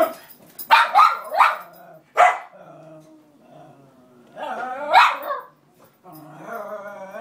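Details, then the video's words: Roxy the cairn terrier protests that the other cairn has robbed her bed near the radiator: rapid sharp barks, a low grumbling moan, another bark burst and a long wavering whine. "Roxy the cairn crying and barking to get her bed back."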